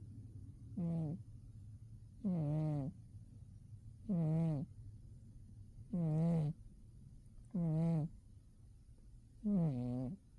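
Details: Umi the cat dozing in winter: six low, nasal, droning snores, each under a second long, recurring about every 1.7 seconds over a faint steady background hum.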